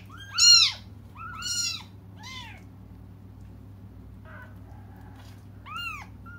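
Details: Cats crying while waiting for their mother to come: high, arched meows, each rising then falling, four calls spaced about one to two seconds apart over a low steady hum.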